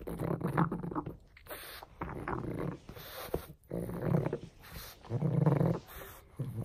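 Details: Frank the pug, a domestic dog, plays with a bone, giving low rumbling growls and snorting breaths in bursts about a second long, separated by short pauses, with chewing and clattering noises indoors.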